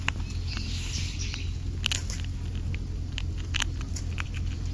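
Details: European rabbit (Oryctolagus cuniculus) on Ōkunoshima, Japan's rabbit island, crunching its food noisily in sharp, irregular clicks over a low outdoor rumble; chewing sounds.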